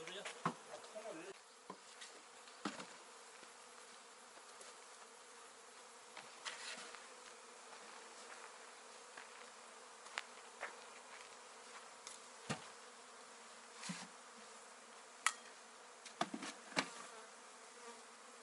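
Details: Honey bees kept by a new beekeeper, a steady low droning hum with bands in the low-mid range, broken by frequent sharp clicks and taps, some clustered near the end.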